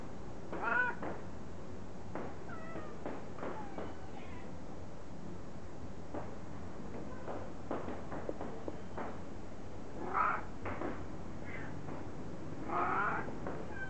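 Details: Short, bright meows from a cat come at the start, around ten seconds and near the end, with faint softer calls between, amid clattering knocks and a constant low background rumble.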